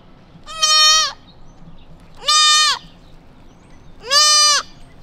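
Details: Newborn white-tailed deer fawn, lost in a quiet suburban neighborhood, calling out for its mother; three loud, nasal, bleating cries, each about half a second, evenly spaced roughly every one and a half seconds, with a quiet background.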